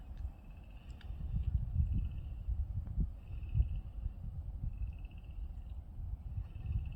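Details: Tree frogs at a pond in a horse pasture sing in the middle of the day, unusually since they normally start in the evening, giving short, high, buzzy trills over a steady low rumble.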